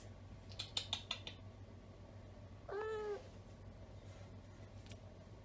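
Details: A vocal, social female Siamese cat, once a stray from Kingston, gives a single short falling meow indoors after a few soft clicks, with a steady low hum behind.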